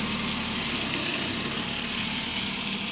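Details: Steady, loud broad hiss like a running engine or water pump, with no animal voice heard.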